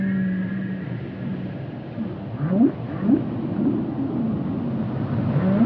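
A whale gives low, rising moans that swoop upward over a deep, rumbling underwater background.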